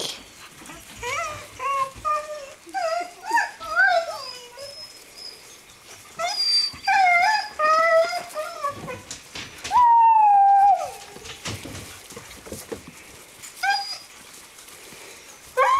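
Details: Greenland Dog puppies at seven weeks, playing as a group in the kennel yard of Tinka's Kennel in June; scattered squeaky yelps and whimpers in bursts, a single clear falling whine near the end.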